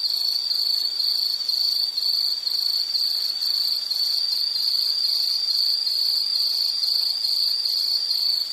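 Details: Insect song used as calming background nature sound: a high, pulsing trill repeating about twice a second at a fixed pitch, loud and steady, with a faint higher overtone above.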